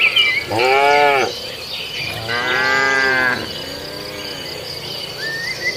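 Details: Grass-eating cattle low repeatedly: two strong, sustained moos about a second each, followed by a quieter, softer third moo. A continuous high-pitched insect drone and an occasional bird chirp sit underneath.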